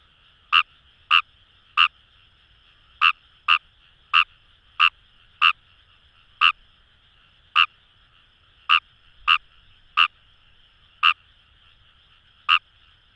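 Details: Kawamura's rice frog in wild rice fields of Itoshima, Fukuoka: crisp single croaks spaced irregularly, some in pairs, about sixteen in thirteen seconds, above a low steady chorus of distant frogs.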